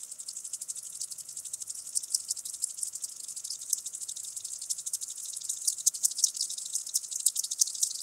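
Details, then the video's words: Common green grasshopper (Omocestus viridulus) singing at Tschenn, Italy, on 19 August 2019. A fairly faint, continuous stream of rapid, dry, high ticking pulses that swells and fades slightly, with some unevenness in loudness. "Omocestus viridulus -- Bunter Grashüpfer -- Common Green Grasshopper"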